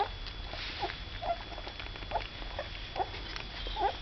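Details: Newborn cocker spaniel puppies from Saga's second litter give short, soft, high squeaks, about five scattered over four seconds, each a brief tonal chirp over a low, steady background hum.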